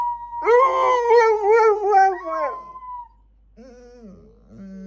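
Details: Several pet dogs howl together in long, wavering, sustained tones that quaver up and down, fading out after about three seconds, followed by softer sliding whines.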